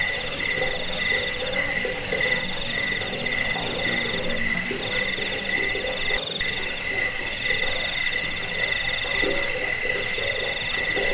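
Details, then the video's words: Steady cricket chirping, sold as a sound to drive off rats, lull to sleep and train songbirds; shrill pulsed trills repeat without pause over eleven seconds, soft low croaks in the background. "Suara jangkik pengusir tikus pengantar tidur"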